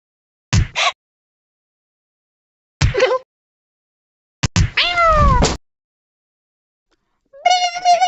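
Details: Domestic cat making funny sounds: one drawn-out meow with a downward-sliding pitch, set among short sharp clicks and bursts of noise, and ending with a steady, buzzy, even-pitched tone.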